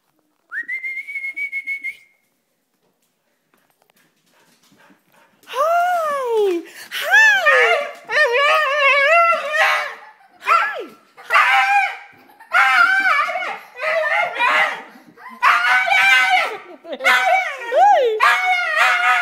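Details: Female Siberian Husky excitedly greeting her owners on their return from a trip, giving a long run of warbling, yodel-like howls and whines that rise and fall in pitch, after a brief steady whistle-like tone at the start.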